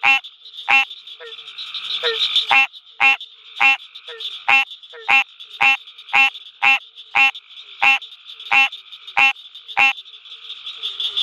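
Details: American green tree frog (Hyla cinerea) calling at night at the University of Mississippi Field Station: loud, nasal honking notes repeated about every half second, around nineteen in the stretch, over a steady high chorus of other frogs and insects.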